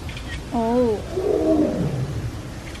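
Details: A tiger at Everland zoo, which kept crying all morning, gives a brief wavering, moaning cry, followed by people talking nearby; the cause is unknown, though it may miss another tiger.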